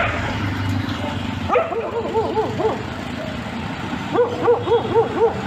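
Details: Dog barking in two rapid runs of sharp, evenly spaced yaps, about four per second, with a short quiet gap between runs and low background noise.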